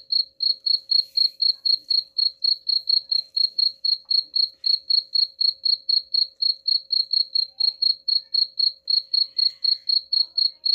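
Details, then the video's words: Cricket chirps meant to scare off rats, a continuous run of sharp, high-pitched pulses at roughly four per second, very even throughout, with a faint steady hum beneath. "suara jangkrik pengusir tikus ampuh"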